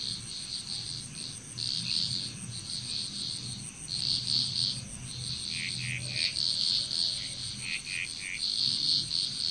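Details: Frog chorus from Bali, Indonesia: many high, short pulsed calls in overlapping bursts, with a thin constant insect-like whine above and a low background hum.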